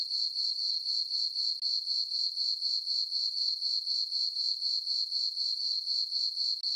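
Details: On a peaceful summer night with a full moon over farm meadow, crickets sing a high, steady ringing chirp, regular pulses about every quarter second, with one brief dropout.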